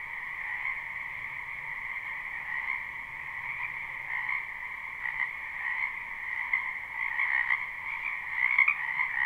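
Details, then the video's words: Spring wetland frogs massed in continuous croaking, recorded live with no looping; a steady two-layered chorus with several louder individual calls standing out near the end, and quiet low background noise. "Ambient Noise for Sleep Frogs"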